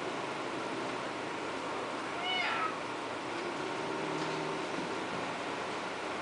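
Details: A domestic cat for sale gives a single short meow with a rising then falling tone near the middle, over a steady background hiss with faint room noise.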